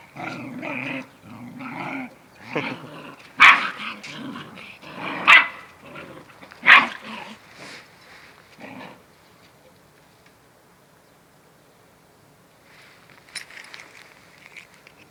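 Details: Domestic dog mother teaching her puppy to stand up for itself: rough growls followed by three loud, sharp barks spaced about 1.5 seconds apart, then near silence with a faint brief sound near the end.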